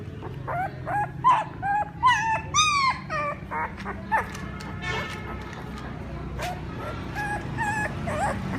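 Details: Several puppies crying for their mother, overlapping short whimpers and thin rising squeals in an uneven chorus, with a faint sustained musical tone running beneath and a low background rumble.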